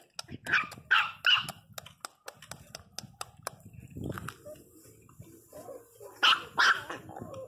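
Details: Pinscher Teco crying out: quick high yelps and barks at the start, a lull with low background rumble, then two more piercing yelps near the end.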